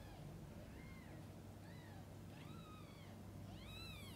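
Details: Mother cat with her kittens while feeding and bathing them; five short, bright, upward-bowed mews come every second or so, the last ones louder and overlapping, above a constant low electrical-sounding hum.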